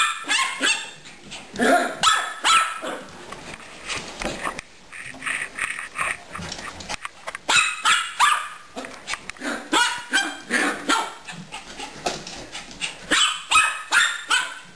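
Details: Gracie the dog keeps up playful barking at Caramel the hamster, a steady string of quick, high barks around two to three per second, with softer scuffling between bursts.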